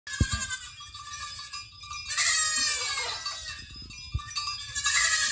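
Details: Goats coming back home, several bleating calls with a wavering, harmonic quality rising and falling over a few seconds, mixed with cowbell-like clanks, footsteps and a brief human laugh.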